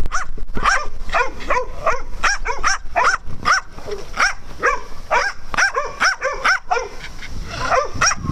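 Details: Dogs at playtime on a farm, yapping steadily in fast, excited barks about twice a second, the high, slightly whiny yips overlapping one another throughout with no pause.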